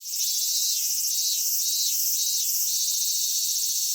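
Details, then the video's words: Cicadas singing on a Japanese summer day at Michinoku Folk Village and Kitakami Tenshochi in Kitakami: a dense, shrill, continuous high buzz with a lower pulsing layer repeating about twice per second. "夏セミの鳴き声 ミンミンゼミから夕方のひぐらしまで"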